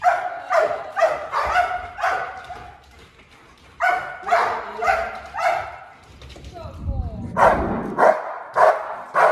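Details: A Malinois from a breeding program barks during bark training meant to give a clear warning to intruders; bursts of fast barks separated by pauses, with a whine and low background noise between runs.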